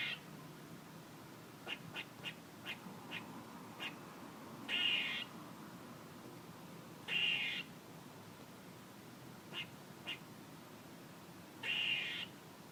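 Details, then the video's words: A squirrel gives scattered short, clipped chucks between four longer, harsh, buzzy calls that come at uneven intervals of a few seconds. "A squirrel making noises"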